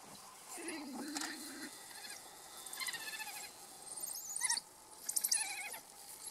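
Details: African wild dogs communicating: high squeaky twittering and chirping calls in overlapping bursts, some wavering, some rising sharply, with a lower whine early on, several animals calling together.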